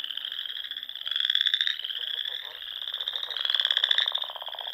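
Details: Dusk frog chorus in spring at a pond in the Nebraska Sandhills; a constant high buzzing trill with two louder surges, each lasting under a second, over faint lower rapid ticking.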